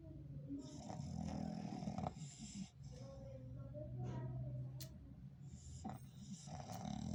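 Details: Loud, rasping snores from a sleeping English Bulldog, rough and rumbling with wheezy breaths between them, the rhythm uneven across the stretch.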